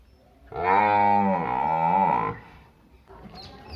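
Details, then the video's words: Village cow giving a single long, steady moo of almost two seconds. It dips briefly in the middle and then rises again before fading out. A quieter rustling sound follows. "Village buffalo and cow animal video"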